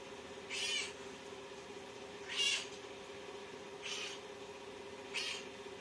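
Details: Pet cat kneading its owner, giving a massage right before bedtime; four short, high meows spaced roughly one and a half seconds apart over a steady low household hum.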